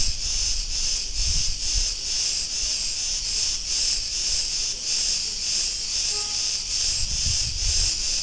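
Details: Cretan cicadas recorded in a street of Ierapetra, Crete, Greece, fill the air with a steady, shrill, buzzing drone that pulses faintly without pause.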